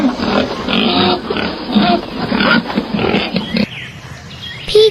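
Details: Wild boar giving dense, rapid guttural grunts and snorts for about three and a half seconds, then quieter, ending with a brief high tonal sound.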